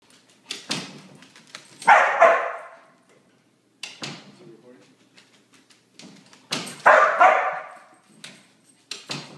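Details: Border Collie after three days of rain, giving two bursts of rough, rapid double barks about five seconds apart, with quiet clicks and thumps between.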